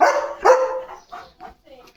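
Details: Pet German Shepherd dog calling for its owner, its voice full of concern and stubbornness; two loud, drawn-out tonal whining barks in quick succession, then softer, fading vocal sounds, with a person speaking nearby.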